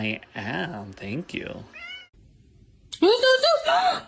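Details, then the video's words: Kitten giving a quick run of rising-and-falling meows, then a brief pause before a higher, wavering, insistent meow; human voices can be heard alongside. "kitten meowing call"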